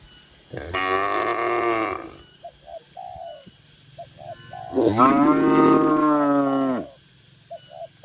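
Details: In a lively barn full of tame farm cattle, two long, full moos ring out, the second rising and then falling. Soft dove coos fill the gap between them.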